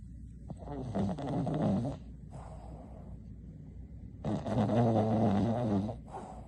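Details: A female Boston terrier snores during a nap in loud, rumbling breaths with quiet pauses between them.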